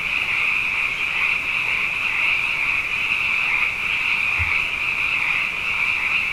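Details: Many frogs sing at night following two wet years, producing a constant high, shrill chorus of interwoven trills; a brief low thump is heard near the four-second mark.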